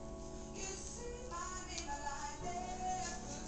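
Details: Music with singing plays throughout; no animal sound can be heard.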